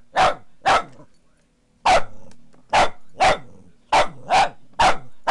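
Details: Boston Terrier, female, barking at a foot massager she dislikes: loud sharp barks, two quick ones, a pause, then a steady run of six more, over a low humming machine drone.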